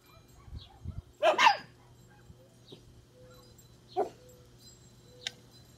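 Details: Four-year-old Corgi/Chihuahua mix, a rescued former stray, barking at night in response to another dog barking in the distance: one sharp loud bark, then a fainter single bark about three seconds later, with soft thumps and a steady low hum.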